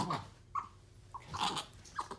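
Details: Pet capuchin monkey, excited and playful, biting, slapping and hugging its owner indoors: short squeaky chirps, about four spaced through the moment, with soft breathy rustles and handling noise between them.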